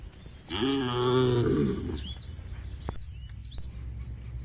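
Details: One long, low moo lasting over a second from a herd of tame cows moving toward a forest-edge field, followed by quieter chirping birds and soft rustling.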